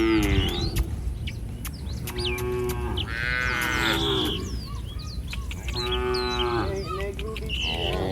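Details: Indonesian village cattle wandering along a road as a herd, giving long tonal moos in succession over a steady low rumble, with faint voices and bird chirps in the background.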